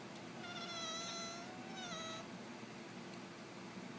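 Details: Devon Rex cat responding to a person's sneezes with two meows, a long wavering one followed by a shorter one, over a steady hum of background noise.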